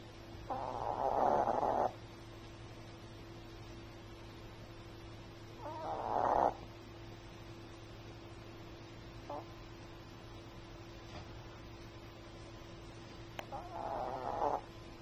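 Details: Chihuahua snoring while asleep: three soft, rasping breaths at roughly four-second intervals, each about a second long, over a steady low hum in a quiet room.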